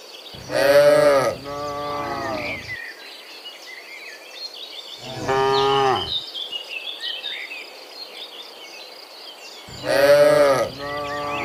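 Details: Cows mooing in the morning while returning from the field to the barn; loud harmonic moos of about a second each, two near the start and one near the end, with a shorter moo midway and chirping birds behind.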